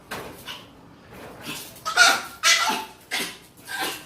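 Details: Female pet dog spinning at a strange sound and making a repeated harsh, noisy vocalisation in short bursts, about two per second, loud and broadband, indoors in a small room.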